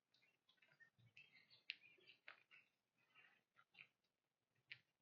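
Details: A whitetail doe and her fawn crunch corn from a pile on a trail at sunrise in the fall woods, a series of dry, irregular clicks and crackles, with birds chirping softly and wind in the leaves.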